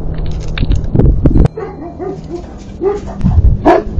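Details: Three livestock guardian dogs react as two coyotes pass near the fenceline, protecting the herd: deep barks in a burst, then higher, bending yips and whines, and a final sharp bark, over a low rumbling background.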